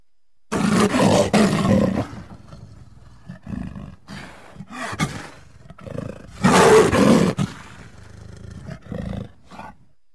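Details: A leopard delivers a long, loud rasping roar, then softer huffing grunts, a second strong roar, and trailing quieter grunts.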